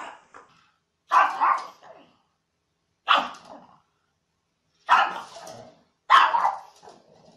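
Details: Dog barking in a funny compilation: four loud, rough, noisy barks, some doubled, spaced about two seconds apart with quiet between them.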